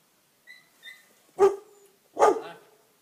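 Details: Two-month-old Pit Bull puppies fighting and biting each other: two sharp, loud barks with a rough yelping edge, about a second apart, after a couple of faint high squeaks.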